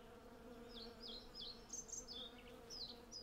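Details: Western honey bees, hundreds of them, collecting on a blossoming cherry tree make a low steady hum. Loud sharp bird chirps sweep downward over it several times a second. Recording gear: Zoom F6 and Sennheiser MKH 8040.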